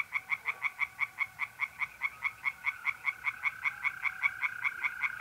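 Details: Night chorus of tree frogs in a pond, mid-April in North-East Italy: a fast, even series of loud croaking pulses, about three per second, with the continuous whistle-like trill of mole crickets running beneath.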